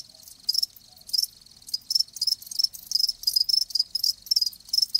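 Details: Live crickets giving distinct bursts of high chirping, about two to three pulses per second, short trilled phrases separated by brief gaps.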